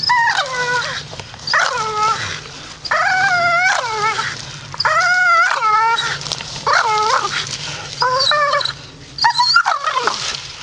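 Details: Grumpy Staffordshire Bull Terrier grumbling in drawn-out, wavering moans that rise and fall in pitch, delivered in about six separate bursts with brief pauses between, like talking back.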